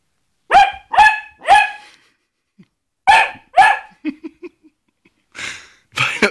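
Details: A Basset Hound gives loud, harsh barks in short bursts with pauses between, trying to scare a glove.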